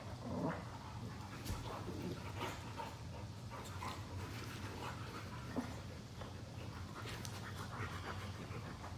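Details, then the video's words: Pair of Boxer dogs in a tug-of-war and mock fight on a couch at home; rhythmic panting with short growly bursts and rustling, a sharp knock near the start, constant low hum beneath. "Boxer dogs brutal fight and tug of war challenge"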